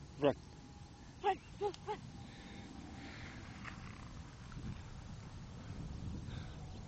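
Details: Shetland sheepdog (Sheltie) puppy, playful and very barky, filmed in 2014: four short, sharp barks within the first two seconds, the last three closer together, followed by quiet outdoor background.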